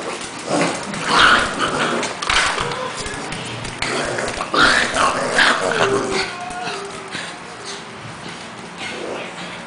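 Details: Pekingese named Cash play fighting with Lebron, a two-month-old English Bulldog puppy; rough, breathy growls and snarls come in uneven bursts, with short louder scuffles around the second and fifth seconds.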